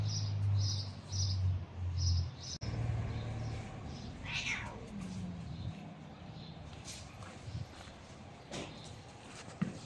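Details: Stray cats, described as bullies and fighting, give a brief downward-sliding meow midway, with a further faint cry later; a regular high chirping pulses through the opening seconds over a steady low hum.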